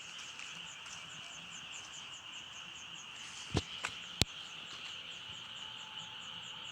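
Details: Frogs croaking in a dense, steady chorus: a continuous trilling band overlaid with quick rhythmic pulses several times a second, broken near the middle by a few sharp knocks.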